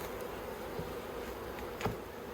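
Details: Many honey bees droning in the Yellow Hive in Australia on 9 October 2021, a hive being worked with plastic frames; a constant low buzzing hum, broken by a few light taps and one louder click toward the end.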